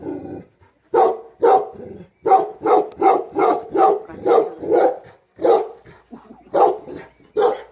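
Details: A Bhote Kukur, Nepal's Tibetan Mastiff, keeping guard over house and farm; a low growl opens, then a steady series of loud, deep barks roughly every half second with brief gaps.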